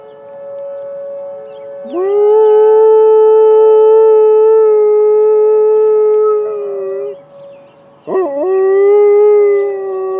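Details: Howling at an emergency siren test, Penny the Malamute Great Dane gives a long, sustained, even howl of about five seconds, a pause, then a wobbling swoop into another loud howl, with the constant siren tone beneath.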